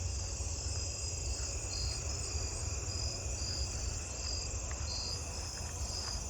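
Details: At night, many jumping bush crickets in a tree give short, bright chirps repeated at a steady pace over a continuous insect hum.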